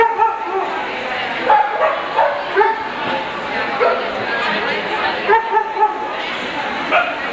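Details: Alaskan Malamutes at a dog show held 27–28 February 1988; short, sharp barks and yips recur throughout, some in quick pairs, over a steady indoor murmur of crowd chatter.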